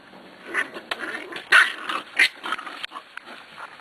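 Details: Eight-week-old Corgi puppies from one litter, penned in a blocked-off area: quick bursts of high, sharp yaps and yips, two loud ones standing out, mixed with scuffling as a person talks to them.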